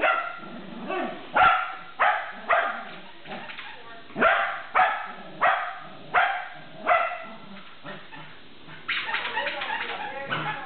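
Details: Shetland Sheepdog playing tug, giving sharp barks about every half second to second, mixed with growly grumbles, then a run of rapid yappy sounds at the end.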